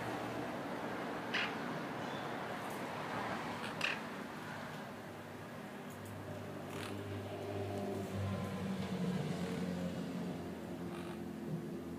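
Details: Low indoor rumble with a few faint taps and clicks scattered through, and no animal voices heard.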